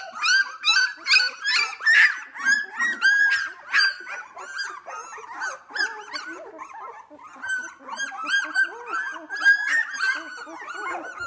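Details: A litter of two-week-old Australian Labradoodles at Pine State Australian Labradoodles, playing: rapid run of sharp yips and squeals early on, then a steadier mix of whimpers and whines from many pups overlapping.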